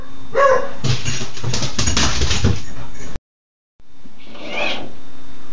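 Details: Six-month-old dog Raynor, indoors on 11-07-10, upset by a turning microwave turntable; a brief high whine, then a run of harsh noisy bursts, a silent gap, and a rising whimper-like note at the end.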